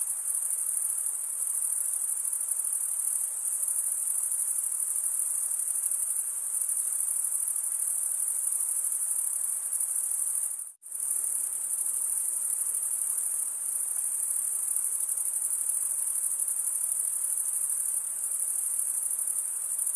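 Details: Stridulating crickets give a continuous high, thin trill at constant pitch and loudness, broken only by a sudden brief silence near the middle before the same shrill drone resumes; soft background hiss, nothing else heard.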